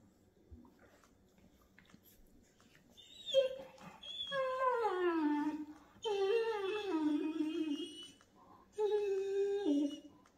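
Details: Seven-week-old Boston Terrier puppy Busby playing with his 7-month-old Great Dane brother Cooper while big brother Kevin watches; long, drawn-out, harmonic howling whines that slide downward, in three stretches separated by short pauses, against a quiet room.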